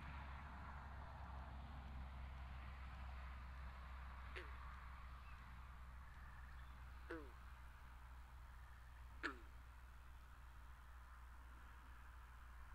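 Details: Frogs calling by a pond in a binaural recording: three sharp, twangy plucks, each dropping quickly in pitch, spaced a few seconds apart over a steady low hum and soft background hiss.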